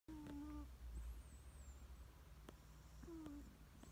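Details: Sleepy cat snoring: each breath carries a thin whistled squeak that slides slightly, returning about three seconds later, over a soft low rumble.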